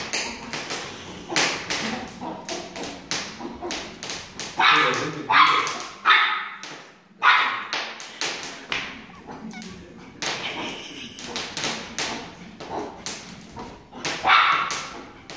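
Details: Chihuahua barking in rapid, sharp bursts, short yaps clustered in volleys with brief pauses, some higher yelping notes and faint whimpers mixed in.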